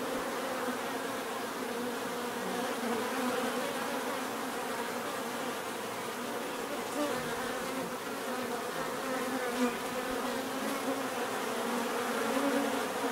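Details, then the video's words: Steady swarm-like buzzing of numerous bees, a thick droning hum that swells gently toward the end, with faint flickers from nearby fliers. "bees therapy relaxing natural buzzing sound"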